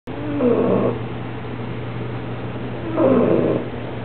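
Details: Bella, a 6-month-old bulldog, snoring softly: two drawn-out, throaty snores about two and a half seconds apart, each lasting roughly half a second, over a steady low hum.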